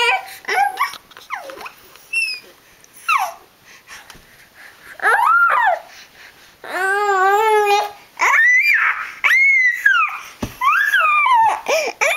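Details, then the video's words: Dog making a run of funny noises indoors: wavering whines and yodel-like rising and falling moans, one warbling trill-like stretch near the middle, then high bending whimpers, with brief human murmurs. "funny noises"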